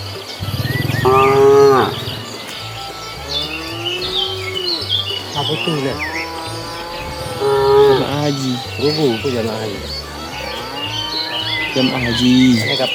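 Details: Cattle wandering leisurely on a road looking for food; many overlapping moos and lowing calls of varied pitch, some rising and falling, from several animals, with scattered high chirps and a low background hum.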